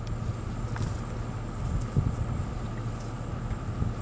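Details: Low steady rumble with an electrical hum and faint knocks, and no animal voice.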